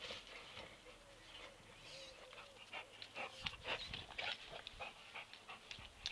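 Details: Labrador Retriever playing with a football: rapid, breathy panting at roughly two puffs a second, with scattered thuds and scuffs from play.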